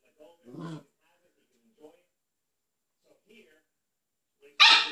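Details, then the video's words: A Siberian Husky puppy barks at a cat it wants to play with, giving short, scattered yips and one sharp, loud bark as a play invitation. "Cute Siberian husky puppy barks at a cat"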